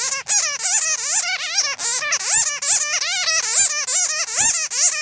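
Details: Bats heard in a trapping lure: nearly unbroken, excited chatter of bending, nasal squeaks stacked with bright overtones, packed closely with only brief gaps and a few sharp clicks.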